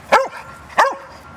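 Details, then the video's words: Four-year-old Labrador mix dog, a shelter adoptee trained for a film role, barking on cue while backing up: two short sharp barks about 0.7 seconds apart, with a trainer's voice giving commands. "Backing Up With Barking"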